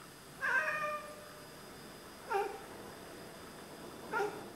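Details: Two Oriental Siamese cats chattering and talking to birds they are watching: three clear, rich-toned chirping mews, the first longer and wavering, the next two short and falling, about two seconds apart, in a quiet room.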